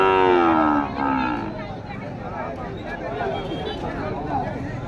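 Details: Heifer calf for rearing at Pochampalli cattle market, offered from 9,000: one loud, high, falling moo with clear harmonics lasting under a second, followed by men talking and crowd chatter of the busy market.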